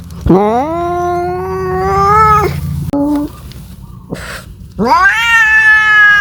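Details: Domestic cat calling for a mate: two long drawn-out yowls, each sliding upward then held steady for about two seconds, with a brief broken cry between them and a low steady hum underneath.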